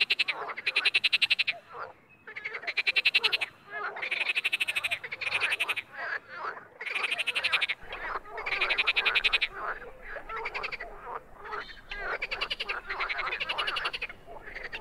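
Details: Wild frogs producing bursts of fast, rattling pulsed croaks, several callers overlapping, bursts repeating every second or so with brief drops in between.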